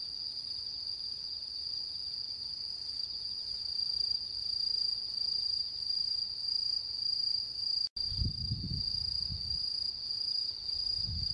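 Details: On the harvest-moon night of September 10, 2022, autumn insects keep up a high, steady trill that pulses gently about twice a second; a short break, then low rumbling gusts join later.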